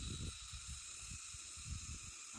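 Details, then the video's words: Crickets heard during a family hike up a mountain in Holy Week: a steady, high, ringing chorus of continuous tones, with low thumping footsteps and rustling beneath. "Ayan, pakinggan ninyo ha, yung mga tunog ng mga kuliglig."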